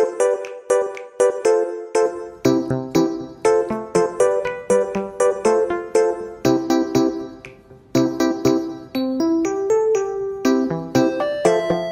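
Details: Bright electric piano music plays with repeated chords and a bouncing melody, and no animal sound is heard.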